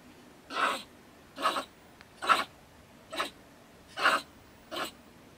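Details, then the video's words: Angry stone marten female, resident in a woodpile by a shed in Germany, raving at night around 10 pm. Six harsh, breathy, hissing bursts come roughly every 0.8 seconds against calm silence. "Our Ranting Neighbour Mrs. Stone Marten - Frau Steinmarder flippt aus"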